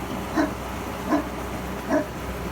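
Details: Newfoundland dog guarding the driveway in Canada after a winter snowstorm, barking at a snow removal truck; three deep single barks about three-quarters of a second apart, with a constant low vehicle hum underneath.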